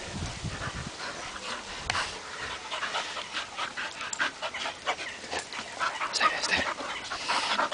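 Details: Clarence, a bull terrier, and Jasper, a Labrador, playing together in mud; quick, breathy panting bursts come in an uneven rhythm, layered with wet, splashy scuffling noises throughout.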